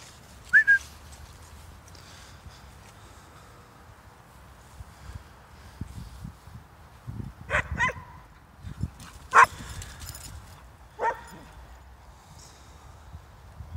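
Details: Two Hungarian Vizslas running in Stewart Park, Middlesbrough: a high whistled note at the start, then after a lull several sharp, harmonic barks or yelps spaced one to two seconds apart over low rumbling ground noise.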